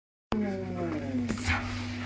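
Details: Domestic cat talking indoors: a low, drawn-out harmonic meow that slides gently downward for over a second, then a short brighter note near the end, over a steady low hum.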